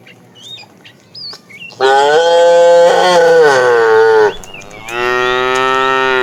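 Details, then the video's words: During an afternoon drive of a tame herd, a fat cow calls to the female with a long, loud, steady moo of about two and a half seconds. A shorter second bellow follows, with small birds twittering beforehand. "The funny sound of a fat cow calling the female"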